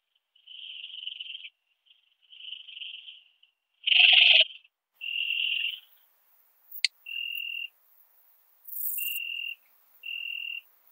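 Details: Ringed bush-cricket song from Biedermannsdorf, Austria, 8 August 2022, made audible by a Pettersson D 100 ultrasound detector. It is a string of tonal bursts, each half a second to a second long, some rougher and louder. There is a sharp click and a brief high hiss.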